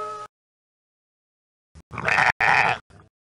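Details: Ram, a male sheep, giving a rough, hoarse bleat broken into two main bursts with short fainter tails, harsh and noisy rather than tonal, after a brief tonal fragment at the start.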